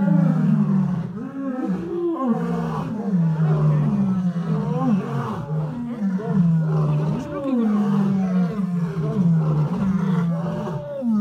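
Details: Lion roaring without a break: dense, overlapping low groans and rumbling moans that repeatedly rise and fall, filling the whole stretch with no quiet gaps.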